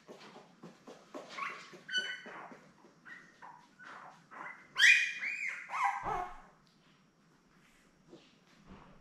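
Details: Newborn Labrador Retriever puppies, a litter of seven born May 24, 2021, with their mother Belle on a live puppy cam: a run of high, squealing whines and squeaks, some rising then falling, in quick overlapping bursts over a low hum.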